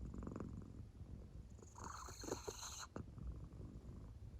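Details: Sleeping American Shorthair cat named Claire, deeply asleep with a belly that moves to her purr; a low continuous rumble, briefly overlaid midway by a short rustling hiss, then the quiet purring resumes.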